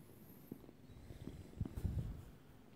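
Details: Short-haired Turkish Angora kitten giving a soft, low purr with uneven throbbing pulses that grow stronger toward the end, heard indoors with no other clear sounds.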